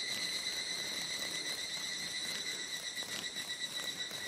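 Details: Evening cicada (higurashi) males calling by a disused mountain trail in Japan on a sunny mid-July 2022 afternoon near 14:00; a steady, high metallic ringing with rapid faint pulsing continues throughout, softer and more distant, amid background hiss.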